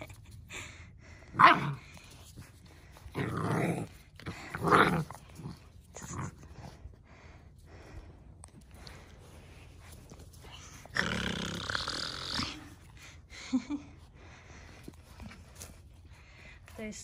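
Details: Two Central Asian Shepherd puppies, Neptune and Nyx, exploring a new area outdoors for the first time on a cold 14°F day. A few short, rough barks and growly bursts come at irregular intervals, with a longer noisy outburst near the end. Quiet human voices sound in between.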